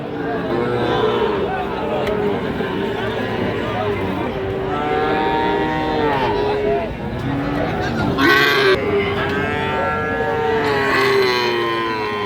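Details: Sahiwal breed calves, described as suitable for farming, at a busy livestock market; drawn-out, low mooing holds through the first eight seconds beneath constant crowd chatter and men's bargaining voices.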